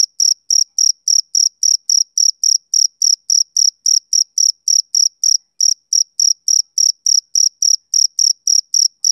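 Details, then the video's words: High, metallic chirps from a male cricket on a summer evening, repeating about three and a half times per second with one short skipped beat midway. The background is silent. "Cricket Chirping Sound Effect"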